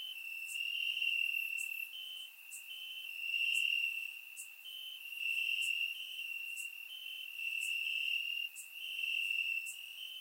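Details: Crickets chirping in grass on a warm summer night in Bulgaria, recorded with a surround microphone: a steady high ringing trill in overlapping bursts, with short bright clicks above repeating every second or so.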